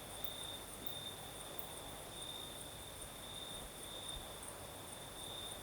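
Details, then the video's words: Crickets sing through a southern Crimean night, their high, even trill wavering in loudness, a fainter glittering chorus far above it, all over the steady whoosh of a night breeze. "Сверчки поют"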